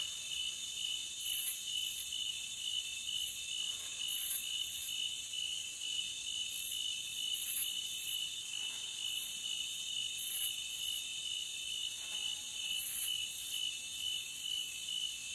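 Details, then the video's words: Unbroken forest cricket trilling, several high-pitched bands humming together, with brief brighter flickers every few seconds over a quiet, otherwise empty background. "Cricket Sound for 5 hours Loopable"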